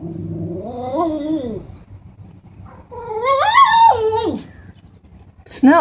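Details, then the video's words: Angry Lhasa Apso dog indoors in an apartment building, reacting to a black lab living there, giving drawn-out whining yowls that rise and fall in pitch, two long strained cries separated by a pause, then a sharp yelp at the end. "Angry Lhasa Apso Dog"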